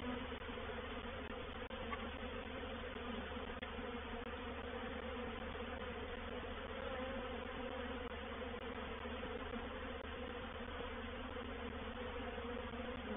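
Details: Reproductive swarm of honey bees entering a swarm trap at Painted Peacock Manor, 04/07/21. Many bees make a continuous, even drone with a deep hum underneath that holds without pause throughout.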